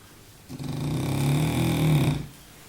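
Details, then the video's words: Baboo, a French bulldog napping, gives one long low rumbling snore lasting under two seconds, swelling slightly toward its end before fading, indoors with quiet room tone. "baboo un bouledogue français qui ronfle !!"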